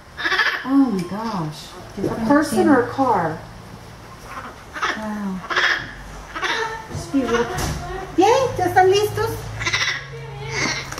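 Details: Orphaned baby howler monkey Milette, a female at the veterinarian, objecting to her vet care: bursts of whiny, arching cries that rise and fall in pitch, repeated in clusters, over a steady low hum with some background noise.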